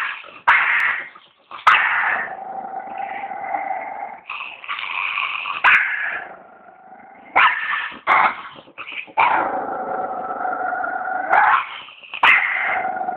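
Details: A dog makes long, sustained growl-whine sounds with stacked harmonics. They are broken into several phrases by abrupt sharp onsets and brief pauses, rising in pitch and then levelling off.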